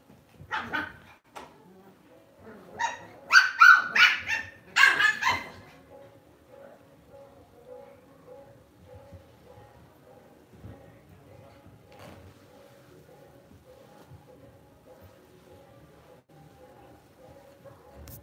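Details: Lhasa Apso, a pet dog kept at home, barking: a few sharp barks near the start, then a dense burst of loud, repeated barks over about three seconds, followed by quiet with a faint steady indoor hum.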